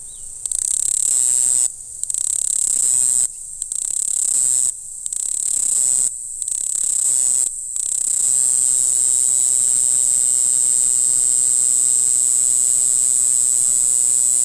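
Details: A black-winged grass cicada (Mogannia formosana, Green Island form) sings in April on Green Island, Taiwan: a thin, very high buzzing trill, broken by short pauses before turning continuous.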